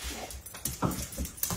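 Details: Daisy, a blind four-year-old Vizsla, reunited indoors with her master after his week in hospital, gives short excited whimpers while a man's voice greets her warmly.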